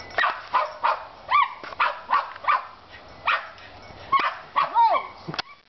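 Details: Jack Russell Terrier, a female, treeing a feral cat that has climbed a second tree; rapid high yapping barks, about two a second, some with rising and falling whining yelps.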